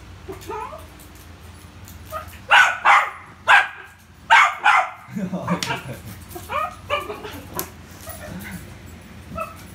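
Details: Rio, a Poodle, playing with a ball, lets out a burst of sharp, loud barks in quick succession near the middle, with quiet human talk and murmured replies before and after.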